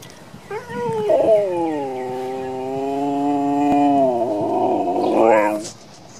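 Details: Domestic dog howling indoors: one long sustained howl lasting about five seconds, steady mid-pitched tone with rich harmonics, starting with a short rise and ending in a brief upward yelp; quiet room, a person speaks afterwards.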